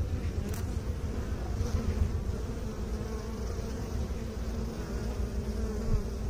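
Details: A low, even hum of many honey bees, grainy and unbroken, with a faint brief tick near the start and small swells in loudness.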